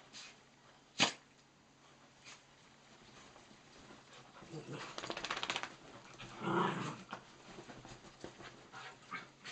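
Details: Playtime for four pet dogs, two miniature dachshunds and two cocker spaniels, celebrating Nellie's third birthday: a sharp knock, then a rough, rising growl that swells into a harsh bark-like snarl amid scuffling.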